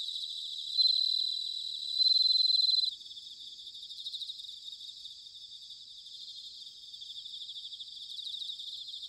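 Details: Bell crickets singing in autumn, recorded in Sanuki, Chiba Prefecture, Japan: high, clear ringing trills, loudest and most sustained in the first three seconds, then continuing as softer, rapid pulsed ringing with overlapping callers throughout.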